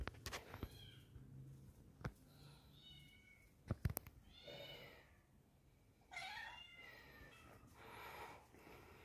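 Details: Indoors, a kitten on its own searching for friends mews repeatedly, brief rising-and-falling cries, louder toward the end. Clicks and knocks from the room sound between them.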